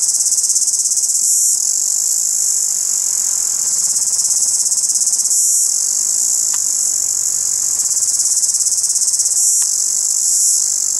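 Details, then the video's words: Cicada chirping loudly in the morning in daylight, filmed up close at maximum zoom on a Sony HDR-CX190 camcorder; an unbroken, intense high-pitched buzzing drone with a fast, even pulsing texture and occasional slight swells in loudness. "Noisy Cicada Chirping in the Morning"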